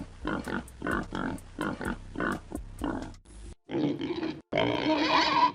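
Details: Pig giving a rhythmic series of short nasal grunts about every half second, then two harsher, longer squeals at the end.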